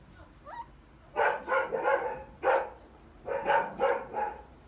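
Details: Three-week-old litter-mates playing and fighting in a puppy pen, giving clusters of sharp, high yapping yips in short bursts, preceded by a faint rising whine.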